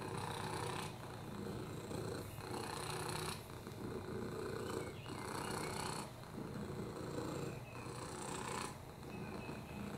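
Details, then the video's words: Oliver, a lap cat with FIV, upper respiratory infections and a broken hip, purrs steadily; a deep, even rumble alternates with louder raspy breaths about every two and a half seconds. "Oliver the Purr-ing Lap Cat"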